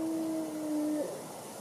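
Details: A single wolf howl holds one even, low pitch for about a second, then drops off sharply and fades.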